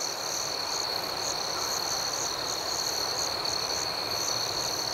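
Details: ['Crickets at night in a dense, even chorus: a sustained high whine with quick pulsed chirps rolling over it throughout.']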